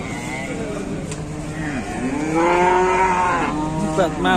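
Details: Cattle at a farm while a calf runs wild and charges; rising, then falling harmonic moos swell in the second half over steady background murmur and voices.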